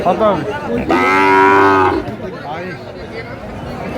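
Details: Sahiwal bull calf bought by a farmer in Sylhet, Bangladesh, on 24 December 2024, giving one loud, steady, harmonic-rich moo lasting about a second, amid background crowd noise.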